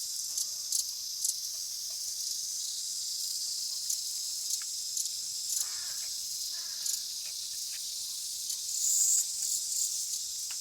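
A cicada gives a steady, high, hissing drone that holds without a break, with a few faint clicks.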